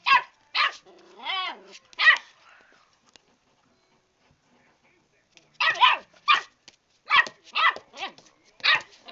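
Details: A new puppy barking while fighting a cat that is fighting back: sharp high barks and a wavering whine early, a quiet pause, then a run of quick yapping barks.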